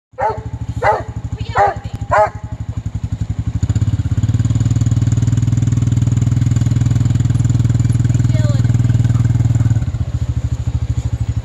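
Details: Kruz, a spoiled Doberman Pinscher who would rather ride than run through a puddle, lets out four loud, quick yelping barks in the first two seconds, then a motorcycle engine idles and revs steadily beneath people talking.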